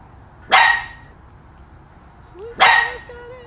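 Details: Shetland Sheepdog barking, two short sharp barks two seconds apart, with a faint whistled tone between them.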